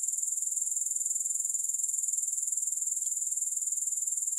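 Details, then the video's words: Grasshoppers keep up an unbroken, piercingly high trill, pulsing rapidly and evenly at about four beats per second, steady in loudness throughout. There is no music and no other background sound. "3 Hours of Grass Hopper Sounds"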